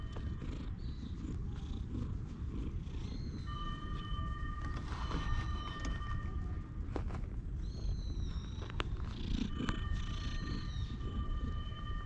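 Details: Stray cat resting on a lap on a park bench, being stroked, filmed with a GoPro: strong continuous low purr, with brief handling rustles, a few faint chirps and a steady thin tone behind.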